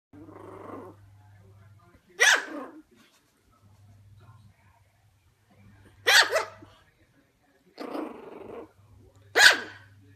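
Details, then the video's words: Shih Tzu puppy barking at its own reflection in a mirror: three sharp, high barks roughly every three to four seconds, separated by lower grumbling growls and a faint steady hum. "Shih tzu puppy reacting to mirror"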